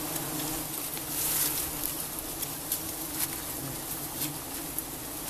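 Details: Giant honey bees (Apis dorsata) in Cambodia during a honey harvest make a steady, dense hum of many bees buzzing together, with faint clicks and ticks.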